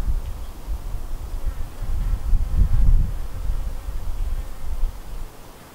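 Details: Low, rough buzzing of honey bees at the White hive, a colony split from the Yellow hive, rising to a loud close fly-by midway before fading to a softer drone.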